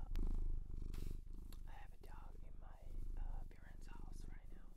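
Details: Shelter cat in Japan purring close up: continuous deep, fluttering rumble that swells and fades in loudness, overlaid by quiet whispering and faint rising voice sounds in the middle.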